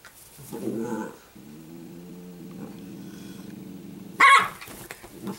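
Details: Sparkle, an Italian greyhound puppy, gives a low, rough growl with layered vibrating tones for nearly three seconds, ending in one sharp, loud bark, with a brief yelp-like outburst just before.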